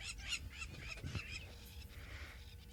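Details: Blue wildebeest herds in the Maasai Mara give a chorus of rough, nasal, honking snorts that overlap in quick bursts over a low outdoor rumble, as lionesses walk toward them looking for weakness.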